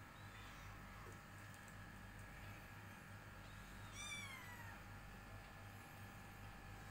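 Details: Persian cat. A Persian kitten lets out a single high, thin meow that falls in pitch toward its end. A pulsing low hum, like a running machine, continues throughout.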